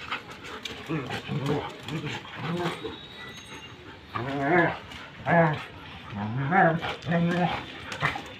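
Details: German Shepherd in a dog fight, giving a run of tonal, yelping barks that grow louder in the second half, mixed with human voices and steady background noise.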